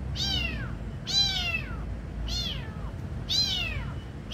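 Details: Beautiful kitten at feeding time, calling in four high, falling meows roughly a second apart, each a bright harmonic cry that drops in pitch; low rumble underneath.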